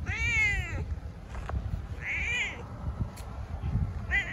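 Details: A cat gives one clear, full meow that bends up and then down, followed by two shorter, quieter meows, with low rumbling noise and a couple of soft knocks behind.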